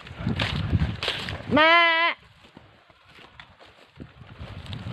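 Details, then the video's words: Goat kid, in a setting about keeping a young goat from being left behind by its mother, gives one loud wavering bleat of about half a second, strongly harmonic and quivering, amid rustling and shuffling ground noise. "para maiiwasan Ang iwanan Ang batang kambing nang ina"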